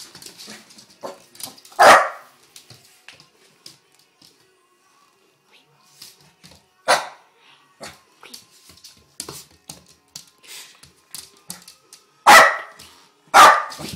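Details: A domestic dog named Noah carrying on with occasional loud barks, single or in pairs, separated by long stretches of soft clatter and faint household noises in a room.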